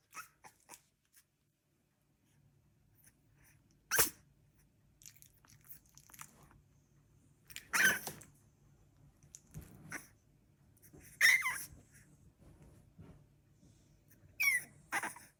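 A three-week-old Staffordshire bull terrier puppy makes brief, bright bursts: sneezes, high squeaky whimpers and a tiny bark, spaced several seconds apart. A low indoor hum sits underneath.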